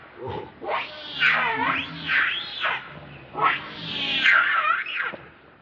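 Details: Angry monkey defending a companion from another monkey; loud wavering screeches arching up and down, two long bursts separated by a brief lull.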